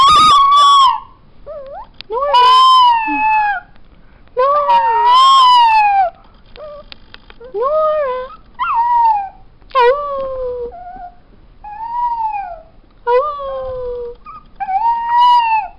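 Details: A female black-and-tan New Guinea singing dog gives a series of high, wavering, yodel-like howls at home.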